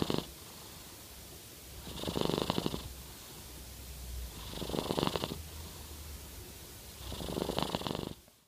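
A Norwegian Forest Cat purrs with a snoring rasp, swelling with each slow breath.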